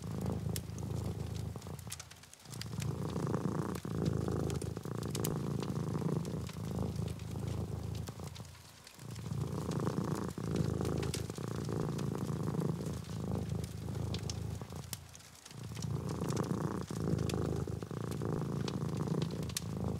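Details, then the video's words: Pet domestic cat purring beside its owner while she writes: deep continuous rumble in regular breaths, with short pauses around 2, 9 and 15 seconds, plus scattered typing taps and fire crackles throughout. "purring cat"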